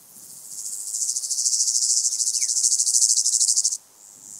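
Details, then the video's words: Stenobothrus fischeri, the white-headed toothed grasshopper, singing on sandy hills at Oberweiden, Austria, 15 July 2020: a bright, high-pitched rasping buzz of rapid pulses, crescendoing, then cutting off abruptly near the end. "Stenobothrus fischeri -- Südlicher Heidegrashüpfer -- White-headed Toothed Grasshopper"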